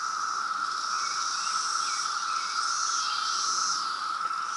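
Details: Periodical cicadas of the 2017 brood in Reston, Virginia, calling loudly as a mass chorus: a constant level drone, with a wavering higher hiss rising and falling over a few seconds.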